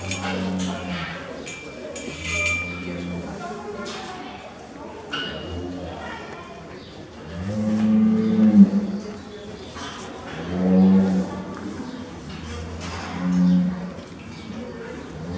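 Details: Friendly Highland cattle calves being petted at a Highland cattle show in Brunegg, Switzerland, April 2018; repeated low, harmonic moos, several short ones then longer calls near eight, ten and thirteen seconds, with voices and hall noise between.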